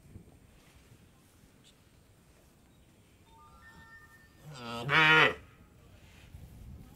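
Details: Cow at an Indian dairy farm giving one brief, loud moo of under a second after several seconds of quiet farm ambience with low background hum.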